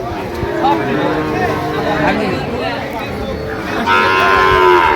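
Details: Sahiwal bull calves at a market where a Dhaka farmer is buying; low moos under busy crowd talk, then a louder, higher drawn-out moo near the end.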